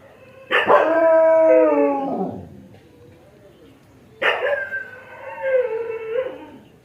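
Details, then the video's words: Dog letting out a sustained, steady harmonic howl that drops in pitch at its end, then a second wavering cry rising and falling a few seconds later. "Dog Barking Sound Effect | Kutte Ki Awaaz | Dog Sound"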